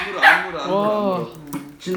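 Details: Four-year-old female Bichon Frise excitedly welcoming a grandmother visiting from the countryside whom she is meeting for the first time; a drawn-out, sliding, howl-like whine of about half a second stands out, with people talking around it.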